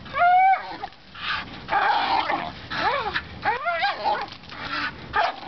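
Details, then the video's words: A bull terrier playing with his rope on a spring pole gives excited whines and yelps with rising and falling tones; he is not in pain, just very vocal. "bull terrier on spring pole"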